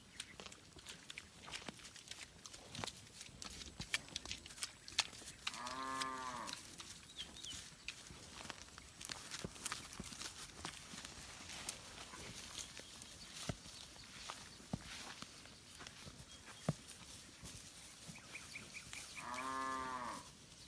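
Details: Village cattle gathered in a rice field, grazing and roaming freely: two brief moos, the first early and the second near the end, heard through constant crackling, rustling and clattering noise.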